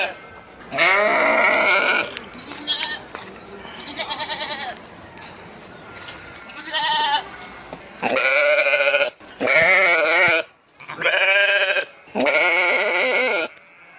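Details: Repeated sheep bleats, some short and some long and quavering, with faint human voices mixed in. The bleats come quickly one after another toward the end.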